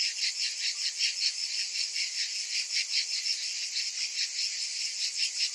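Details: Summer cicadas fill the air with an unbroken, high-pitched rasping drone, pulsing rapidly and evenly throughout, many insects singing together with no other sounds.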